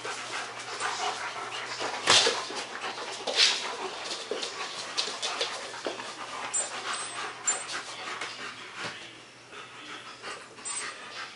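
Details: German Shepherds Max and Ace playing on 14 September 2015: harsh, breathy panting bursts in an irregular rhythm, some louder puffs standing out, over a steady low electrical hum.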